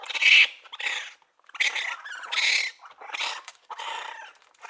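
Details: A baby raccoon cries in shrill, wavering squeals, with one sharper whistled note at the start, followed by several longer raspy bursts broken by a brief pause.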